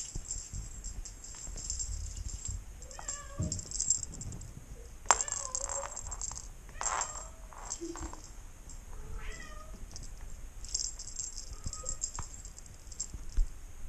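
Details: A 5-week-old female Maine Coon kitten, while hunting, gives thin, high meows, some rising and falling, spaced a second or two apart.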